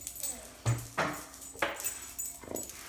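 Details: German Shorthaired Pointer, a pet female, jumping around and vocalizing to ask for food at breakfast time; short whiny, rising-and-falling bursts roughly every second, with a person talking to her about breakfast between the sounds.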